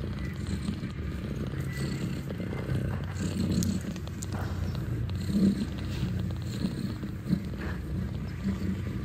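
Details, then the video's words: Purring from a mother cat and her nursing kittens indoors at Catfe cat cafe, Ho Chi Minh City: a continuous low throbbing drone with a few brief brighter bumps and light background rustling. "Mèo con ti mẹ"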